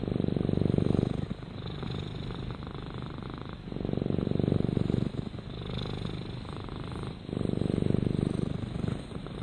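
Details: Low, throbbing purr from Rama, a pet cat, rising and falling in long breathing cycles about every three seconds.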